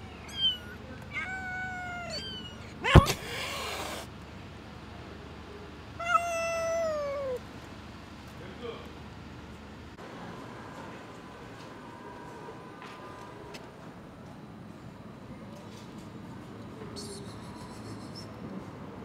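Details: Stray mother cat hissing to protect her baby kittens while they wait for food in a corner; high thin kitten meows repeat early, a sharp breathy hiss burst cuts in near three seconds, then a falling meow follows amid low background rumble.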